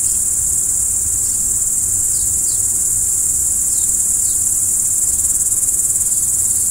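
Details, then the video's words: Crickets at night: a dense, unbroken high-pitched shrill of insect chirping holds steady throughout, with a few faint, brief higher ticks scattered over it and a soft low rumble underneath. "Stars at Night BLACK B/G - Video & Audio Crickets"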